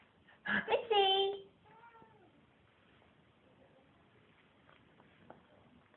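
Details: Domestic cat indoors that meows whenever someone breathes in deeply or sneezes; after a short burst of breath and voice comes one clear, tonal meow, then a fainter, falling second meow, and the room goes quiet.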